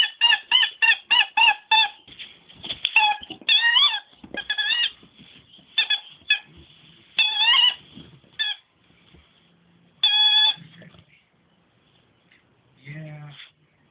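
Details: Nemo, a dog that squeaks instead of barking, lets out rapid runs of high, harmonic squeaks, some rising and falling, in dense bursts during the first five seconds, then in scattered short groups with quiet gaps.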